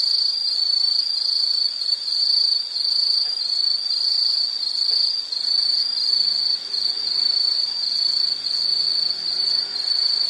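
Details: Insects heard in a calming nature soundscape, giving a dense high trill that holds steady throughout with slight dips in loudness every couple of seconds; nothing else stands out.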